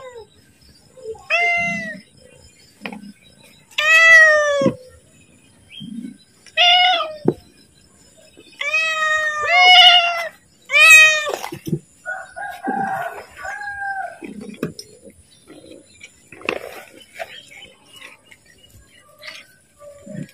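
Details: A pet cat asks for food as feeding time approaches, giving a series of short and longer harmonic meows, some rising and falling, spaced a second or two apart, with quieter chirps and indoor rustling between them.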